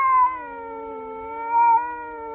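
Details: House cat holding one sustained, harmonic-rich meow that dips slightly and swells twice in loudness, a steady plaintive wail with nothing else audible.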